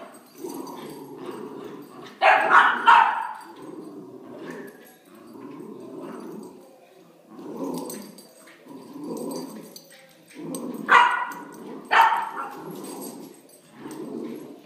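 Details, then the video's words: Puppies at play, growling in low rumbling bursts, with two clusters of sharp high yaps and barks breaking in among the steady rough growls. "Crazy puppies playing"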